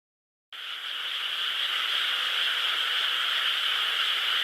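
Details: Frogs calling at night in a nearby rice field on 12 May 2016 under a crescent moon: a dense, continuous high chorus of overlapping trills that starts suddenly and stays steady.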